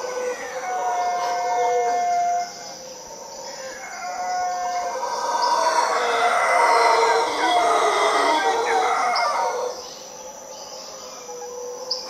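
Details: Costa Rican howler monkeys roar in a broad, growling wave that builds midway and drops off near the end, with clear whistling birds and a constant shrill insect hum behind them.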